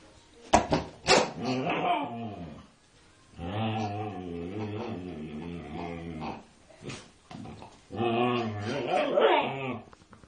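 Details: Female Siberian Husky, louder than usual as she goes after a pig: a few quick yips open, then sustained warbling, yodel-like whines rising and falling in pitch, repeated in three long bursts.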